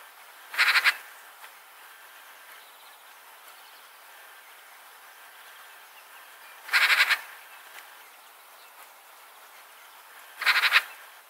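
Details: A roe deer, one of a male with new antlers and a female, gives three harsh, short barks several seconds apart in a quiet winter forest in Sundsvall, Sweden, in February 2023.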